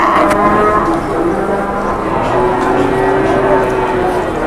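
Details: Cattle at a cattle market with buyers crowding in and bargaining. Low, drawn-out lowing with steady tones rises out of a dense background of voices and market din.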